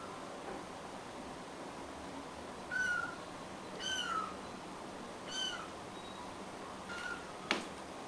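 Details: About three-week-old rescued stray kittens, four together, kept indoors in Greece and bottle-fed formula; a few short, high, thin mews spaced over several seconds against a steady background hiss, with a brief click near the end.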